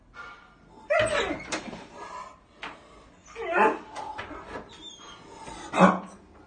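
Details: A dog at a door, described as a wild dog, gives several short harsh barks and yelps at irregular intervals of about a second or more, with faint human voice and indoor room noise between them.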